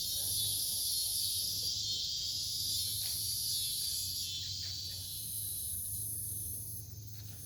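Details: Night chorus of cicadas in woods by a farm in Omaha, Nebraska, 08 03 2021, near a fallen oak: a dense, sizzling high drone rising and ebbing in long pulses over a steady low hum.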